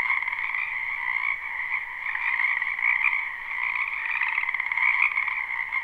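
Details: Many frogs croaking in a spring wetland behind a house, captured live without looping: a dense, unbroken chorus of trilling croaks in two steady bands, middle and high, swelling slightly around the third and fifth seconds.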